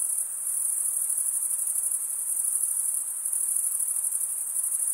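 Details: Summer-night crickets in a forest give a high, continuous shrill trill. Faint rhythmic swelling can be heard within the pulsing buzz, and a slight dip comes near the start and again around three seconds.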